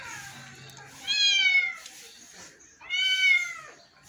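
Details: Two clear, loud meows from a house cat about two seconds apart, each a rich harmonic wail that bends downward, over a quiet background.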